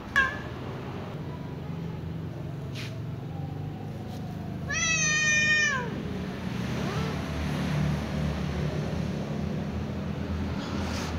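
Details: Young ginger cat, apparently addressing its mother, gives one clear drawn-out meow with a gentle downward bend near the middle, plus fainter calls, amid steady low rumbling and occasional knocks.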